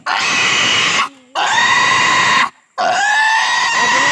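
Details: Castration of a native pig: three sustained, piercing squeals, each about a second long, separated by short silent pauses.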